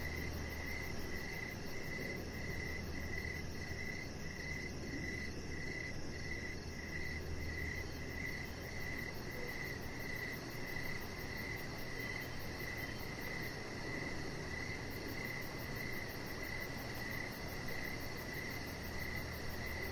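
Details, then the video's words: Crickets chirp through an evening on a deck, a long unbroken series of high pulsed chirp bursts evenly spaced, backed by constant low rumble and a faint shrill insect whine overhead. "Cricket Sounds"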